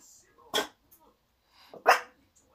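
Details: A Miniature Schnauzer puppy barks for the first time, giving two short, high, yappy barks about a second apart.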